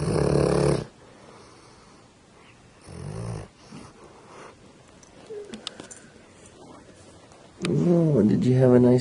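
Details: Sleeping female pet dog named Holly gives short, low, rumbling snore bursts, two of them near the start, before a person's voice calls her name to wake her near the end.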